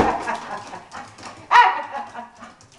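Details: Colette, a pet Bull Terrier, worked up and losing her temper indoors after repeated 'sit' commands. She gives whining, harmonic yelps and a loud, sharp bark-whine burst mid-clip, then fading whimpers.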